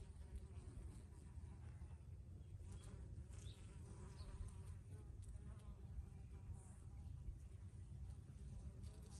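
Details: Bees buzzing in blooming basil: a dense, steady hum with layered overtones and short fluctuations as insects move close, set against low-pitched ambient rumble.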